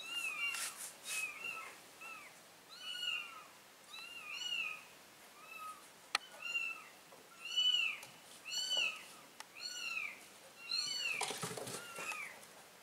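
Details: Mama cat carrying baby kittens into a new place; a run of thin, arched meows repeated about every second, some overlapping as if several callers, with scattered knocks and a rustling burst near the end.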